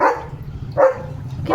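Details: Pet German Shepherd Leo in India, excited and hyper, lets out short harmonic barks, one at the start and one near the middle, over a low rumbling background.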